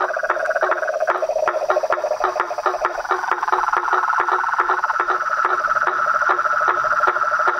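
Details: Mixed chorus of toads, frogs and treefrogs, where a lower pulsing croak dominates early, then a high continuous trill takes over, punctuated by rapid tapping notes.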